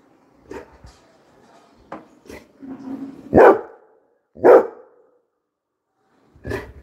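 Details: Coco the Labrador Retriever barks at arriving people; two strong barks a second apart stand out among softer clicks and knocks, with one more bark near the end.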